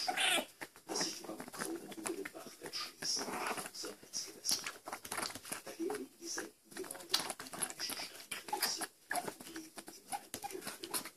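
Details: Young raccoons during feeding give scattered high squeaks over steady smacking, patter and rustling, with brief human speech in the background.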